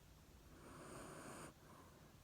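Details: Chiro, a female black Shiba Inu with white eyebrows, recently moved to Fukuoka, naps and snores softly while being petted: one soft, breathy, noisy exhalation lasting under a second in a quiet room.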